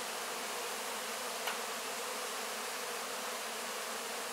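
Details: Honey bees tidying wax cappings after honey extraction, heard at close range: a steady, crowded humming buzz, with a single faint tap about halfway through.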